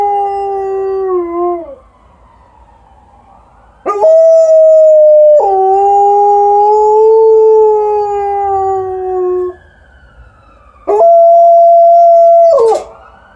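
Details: Outside after an evening walk, Alaskan Malamute Liza howls back at a passing ambulance, giving three long, full-toned howls separated by quiet pauses, each held for several seconds and the first sliding downward at its end.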